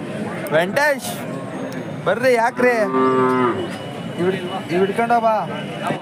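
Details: Hallikar cattle bellow at the KG Temple cattle market on 24 November 2025: three loud, rich moos, the middle one long and sliding downward, each a second or more, with people talking in the background.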